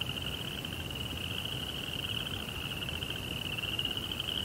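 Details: Night-time cricket sound: a continuous shrill trill holds one high pitch for the full length, finely pulsed, over a soft low rumble.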